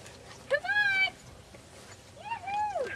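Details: Standard Poodle puppies from Admiration playing in a field on a pretty March 2009 day; two drawn-out, arching whines with bright harmonics, the first level and steady, the second rising then falling, over a quiet outdoor background.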